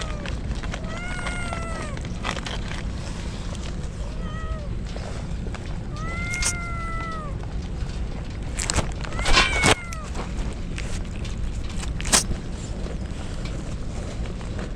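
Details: Stray kittens soaked in the rain as a typhoon approaches, crying: several drawn-out, arching meows rising then falling, spaced a few seconds apart, over steady rain hiss with sharp tapping and knocking noises.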